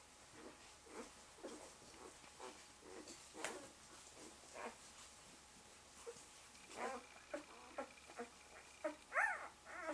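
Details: Malamute/Husky mother with her one-day-old pups; soft short squeaks and whimpers spread irregularly, building to a louder cluster of high, bending squeals near the end, with a faint background hum.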